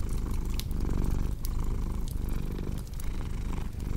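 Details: Close, loud cat purr with a coarse low vibration pulsing in and out with breathing, accompanied by occasional snapping fireplace crackles.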